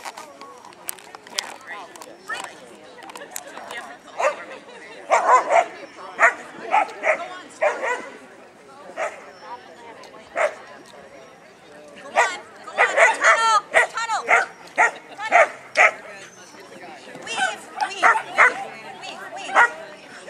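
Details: Labrador Retriever barking and spinning at a trial in Monroe, Washington. Loud repeated barks come in volleys, densest around the middle and two-thirds mark, over steady human chatter.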